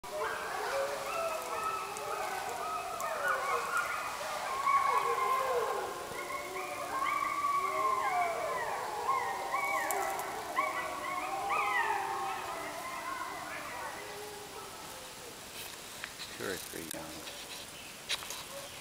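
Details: Several gray wolf pups of Washington's first documented pack in over 70 years howl together in wavering, overlapping high notes that rise and fall; recorded in the North Cascades, Washington, in July 2008.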